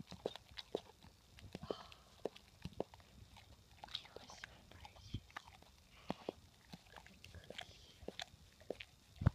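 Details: Gaia, a Rottweiler girl who loves her food, chews snacks with no holding back; rapid crunchy clicks and louder bites repeat unevenly, ending with one strong crunch.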